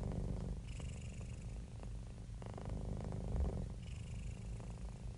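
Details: Happy, relaxed domestic cat purring steadily, a deep vibrating rumble with close, rapid pulsing and soft breathy accents rising and falling over a few seconds.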